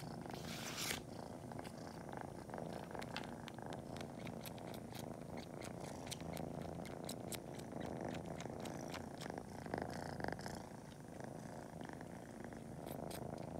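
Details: Pretend-nursing kitten Cori, about to nap, kneads and sucks on toes; a rich continuous purr fills the recording while sharp suckling smacks pop intermittently, heavier in the middle stretch.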